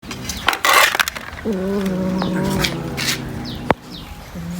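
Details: Cat eating fish gives a drawn-out, low, steady moaning growl lasting about two seconds, preceded by clattering of dishes and a sharp knock near the end.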